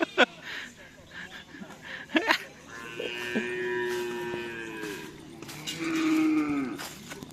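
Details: Cattle at a karapan sapi (bull-race) training session at the Asemanis field, with a new bull from team Pisang Emas; long drawn-out moos rise and fall around three seconds and again near six seconds, amid crowd noise and chatter.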